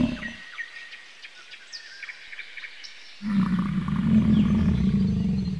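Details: Bison call: after a short low grunt and a quiet stretch with faint chirping birds, a loud, deep, rumbling bellow starts and holds steadily for over two seconds.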